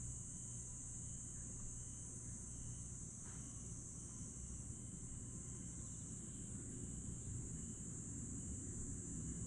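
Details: Grass insects on a summer night at Aewol, Jeju, on 22 July 2022 after sunset: a steady, shrill high-pitched trill runs throughout, with softer pulsed chirps repeating beneath it, over a low continuous rumble of aircraft.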